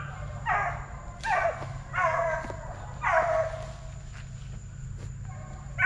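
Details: Hound puppies of the Plott Tan cross (Plott hound × black and tan coonhound), aged eight weeks to five months, TTG Kennels: four short, bright bawls spaced about a second apart, then quieter, with a low hum underneath.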